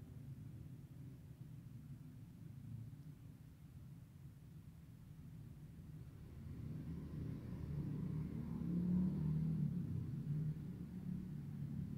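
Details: Steady low traffic rumble from passing vehicles outdoors, swelling louder toward the end, with no animal voices.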